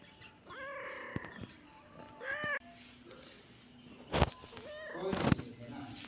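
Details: A pet cat giving a few wavering meows, one long and one rising, mixed with human speech and sharp knocking or rustling noises.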